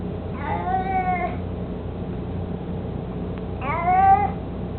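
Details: Mico, an 18-year-old domestic cat, mostly blind and chubby, carrying his toy mouse indoors: two drawn-out harmonic meows about three seconds apart, each slightly falling, over a steady low hum.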